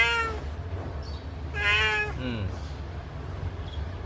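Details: Cat with one blinded eye meowing while a person asks about its eye; a brief meow opens, then a strong, longer meow with a softer falling call after it, over steady low hum.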